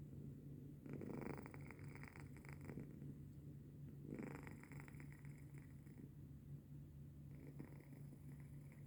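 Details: Sleeping house cat Denok snores in the early hours, 3:45 am, 14 January 2025: deep, low rasping breaths in slow surges roughly every three seconds, fading between, against a steady electrical hum.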